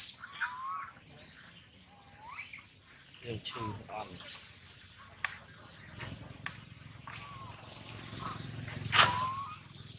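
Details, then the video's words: Young monkey named Lola, hurt after a slide down from a tall tree, gives repeated short rising wails and squeaks across ten seconds, mixed with scattered clicks and rustling. "Poor baby Lola slide down from high tree, Lola cry cry hurt too much"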